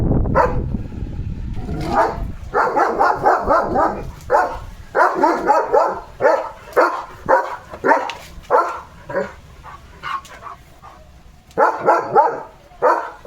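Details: Excited German Shepherd named Leo at play with his coronavirus-shaped squeaky ball, barking in rapid bursts of short, harsh woofs, nearly two per second in clusters, with brief pauses between volleys.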